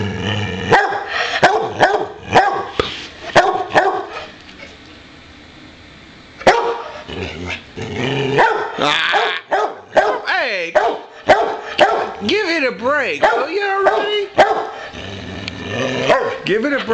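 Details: Playful pet Boxer insisting on playtime: bursts of rapid, sharp barks, a quiet two-second gap, then more barks blending into long whining, wavering howls and yips near the end.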